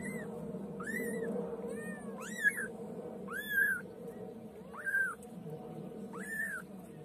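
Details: White kitten, female, calling insistently with a run of about seven shrill, arched meows, some louder and strained, at irregular intervals of under a second, with faint low rumbling behind.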